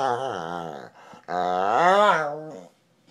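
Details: Dog named Duncan decompressing on the couch indoors: two long loud harmonic growl-groans, the first steady then falling, the second rising and wavering before dropping off, separated by a brief pause.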